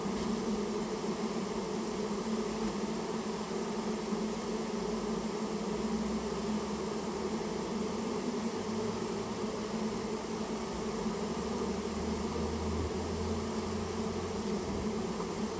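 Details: Japanese honey bee colony that nested inside a storehouse, heard during its removal: a steady, dense low hum with a droning pitch band and fainter overtones, unbroken throughout, with a faint low rumble underneath.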